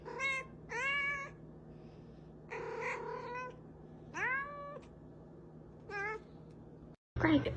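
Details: Domestic cat giving several separate meows indoors, each a rich harmonic call with a rising start, spaced a second or two apart, ending with a brief burst of louder noise.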